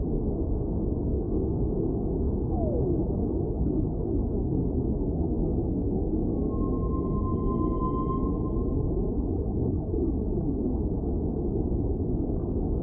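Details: Whale song: after a brief faint downward sweep, a sustained, slightly wavering tonal moan with clear overtones lasts about two and a half seconds midway, over a constant deep rumbling, rushing underwater noise.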